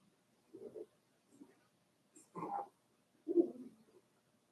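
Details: Cavalier King Charles Spaniel puppies, four weeks old, in Daisy's litter pen indoors: a few brief low whines and grunting whimpers, one louder nasal whine near the middle, separated by short silences.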